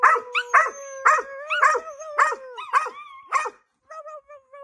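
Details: Several dogs howl together, with overlapping wavering tones at different pitches, broken by rapid bursts of harsh yips and barks about twice a second, then a quieter trailing howl at the end.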